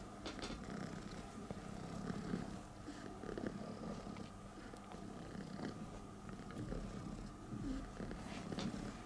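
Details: Rescued female stray cat in Istanbul, hugging and thanking the man who took her and two other sick strays to the vet: soft continuous low purring, quiet and even, with light rustling and a faint steady hum behind.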